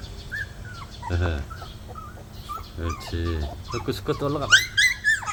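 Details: Young puppies of two dogs named Baekseol and Heukgom, including a black male and a black-and-tan pup, climbing and tumbling. Thin high whines come repeatedly, ending in a burst of louder squeaky whimpers, with a person talking in between.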